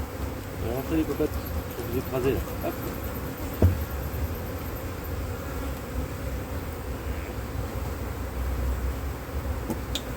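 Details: Drone-laying honey bee colony on a split, after first matings failed in cold weather in 2024: a dense, continuous low buzzing drone throughout, with faint speech early on and a single sharp knock.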